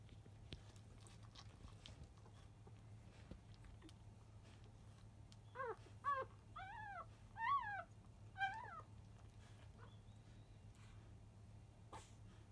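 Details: Newborn field-type Labrador Retriever puppies, five days old, making a fuss at the start of a feed shortly after 1 pm; after a quiet stretch, a burst of five arched squealing whines, then quiet again over a low room hum.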